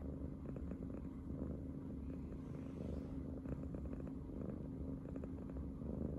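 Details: Riri, a brown tabby cat, snuggles into the space by Shiba Inu Riko's belly and purrs happily: a steady, low, rumbling purr with soft rhythmic pulses throughout, nothing else clearly heard.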